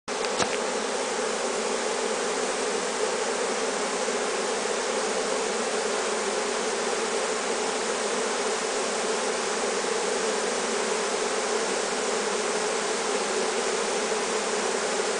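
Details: Italian honeybee swarm just knocked off a Seckel pear tree limb into a hive box on 23 May 2015: a steady, dense, unbroken hum of many bees throughout, with a brief click near the start.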